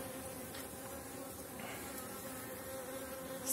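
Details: Honey bees of the BeeRoyal apiary, colonies described as very strong near the end of the season, hives in model condition: a steady, dense droning hum with even tonal bands, unbroken for the whole stretch, no other sounds intruding.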